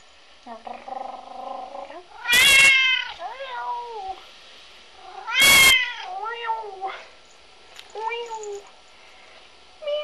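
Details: Binx, a bored three-year-old red point Siamese cat, meowing loudly indoors: two harsh, strained cries with a wide noisy burst, each trailing into wavering harmonic meows, plus softer meows at the end and a person talking.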